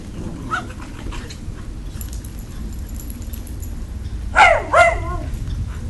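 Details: Husky pups and a schipperke pup playing outdoors after rain; after a few seconds of steady low rumble, two short, high, wavering yelps come close together near the end, with faint earlier whimpers.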